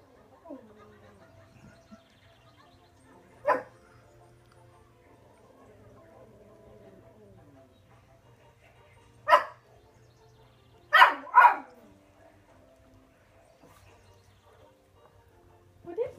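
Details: Pet Toy Poodle watching dogs on TV: soft, high whines sliding downward near the start and again mid-clip, broken by short sharp barks or yips at about 3.5, 9.5, 11 and 16 seconds, with a low steady hum underneath.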